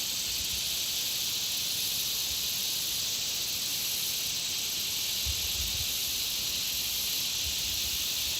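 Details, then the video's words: Many insects around a country pond make a continuous high, hissing drone that never pauses, with a few soft low thumps now and then beneath the steady chorus. "Country Pond Insect Sound Effects"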